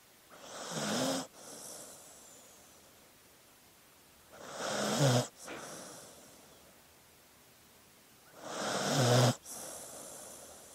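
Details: Dog asleep, breathing in a slow, steady snoring rhythm: three rasping, throaty inhales roughly every four seconds, each swelling and stopping sharply, followed by a faint whistling exhale and quiet pauses between.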